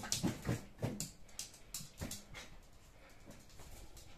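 A Jack Russell Terrier gives quick, excited whines and short yips amid rustling, squeaky balloon noises.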